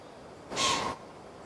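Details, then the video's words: A white-tailed deer directed at the person filming gives one short, forceful, hissing snort lasting about half a second against quiet outdoor background. "White-tailed Deer snorted at me!"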